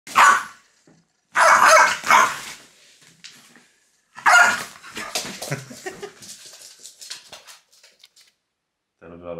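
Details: French bulldog named Loki, a pet frenchie indoors, reacting angrily as fingers are pointed at him; loud bursts of harsh barking and growly yaps separated by pauses, with a person's voice nearby.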